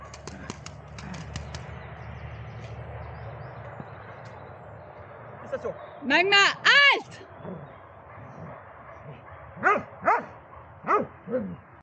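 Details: Dobermann named Magmar Von Der Burgstätte, aged 11 years 3 months: after background chatter, a run of high arching whines or yelps in two bursts, about four quick calls then three more, each rising and falling.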